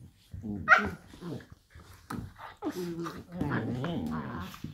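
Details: Two working cocker spaniels, one a blue roan, play fighting: growling and grumbling in rough play, with a sharp yelp-like bark early on.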